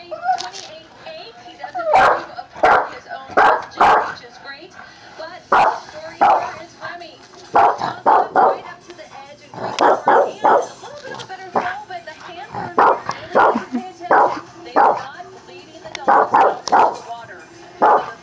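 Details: A Boston terrier barks at dogs on television, giving sharp, gruff yaps singly and in quick pairs in irregular bursts, while faint TV voices and music murmur underneath.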